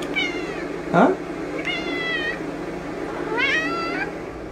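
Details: Female house cat meowing while her owner asks whether she is hungry: three drawn-out, slightly wavering meows, the last one rising, with a brief squeaky sound between them and faint Spanish speech in a small room.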